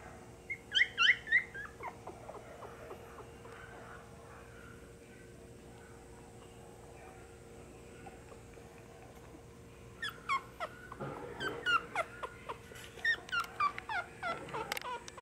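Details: Eight Beagle puppies, littermates in a pet shop in Nara, Japan, give high, short yelps and whimpers in a quick burst near the start, then a longer run of repeated squeaky cries after a quiet stretch with a steady background hum.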